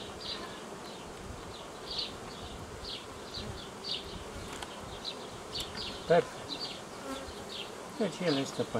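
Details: A honey bee swarm tended on 18 May 2018, headed by older queens, hums continuously. Bird chirps come roughly every second, and brief louder knocks and handling noises appear near the end.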